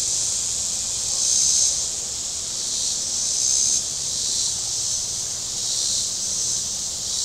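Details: On a warm day at Table Rock Lake in southern Missouri, cicadas on the shore give a steady, high, hissing buzz that swells and fades about every two seconds, with boating sounds nearby.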